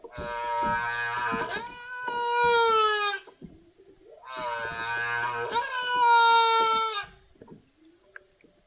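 Two long, mournful humpback whale calls, each a rich harmonic wail that rises and then slowly falls.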